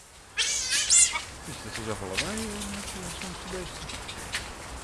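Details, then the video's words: Captive otters at Hamburg Zoo, Germany, hungry and waiting to be fed, utter a quick series of shrill, high squeals at the start, followed by lower murmuring voices and background noise. "Hungry otters in Hamburg Zoo"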